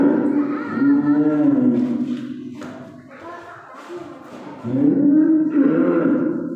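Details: A calf bawls on the eve of Eid al-Adha, its calls drawn out and sliding downward. A dip to rough, quieter sounds follows before another strong, rising cry.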